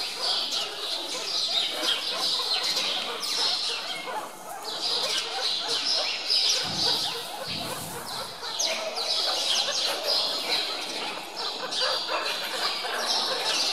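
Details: Hungry meerkats at Zoo Augsburg being fed chicks, chasing one another to steal food: a dense, overlapping chatter of high, sharp chirps and squeaks from several animals, with brief low handling thumps midway.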